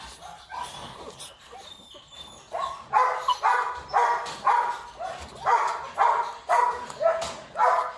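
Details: Rottweiler puppy with a wrinkled face, kept at a kennel; after soft whimpers, high yelping barks start at about three seconds and repeat roughly twice a second, steady and insistent.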